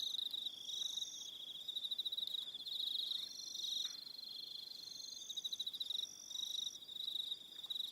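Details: Several crickets calling together at evening on Aroha Island, New Zealand, a shrill steady trill with rhythmic pulsed chirps that swell and fade repeatedly, plus faint scattered ticks in the background.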